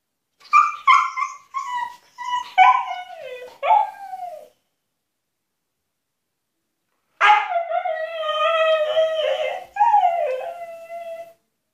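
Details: Husky shut in an enclosure as punishment, demanding freedom: two bursts of high whining yelps and wavering howls, several short rising-falling cries, a pause of about three seconds, then a longer quavering howl.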